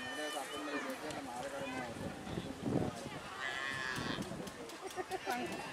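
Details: Cattle at a kerapan sapi bull race from Sapudi island, held at the Rosong field in Madura, East Java, Indonesia, third round; a low, drawn-out moo with layered harmonics rises over constant crowd chatter and shouting voices.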